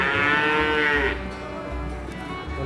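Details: Young feeder cattle, described as a prize animal: a drawn-out, arching moo with rich harmonics lasting about a second, then fading, while background music plays throughout.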